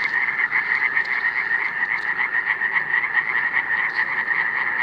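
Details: Steady chorus of Iberian tree frogs (Hyla molleri), recorded in 2017; quick nasal pulses blur into an unbroken buzzing band over faint background hiss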